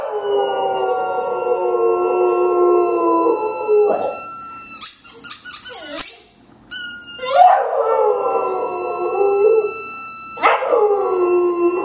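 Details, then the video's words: A pet dog named Butch sings along to a really loud squeaky ball. Two long, level howls are split by a burst of shrill, rapid squeaks from the ball, and a fresh howl rises again after a brief pause. "Butch "Singing""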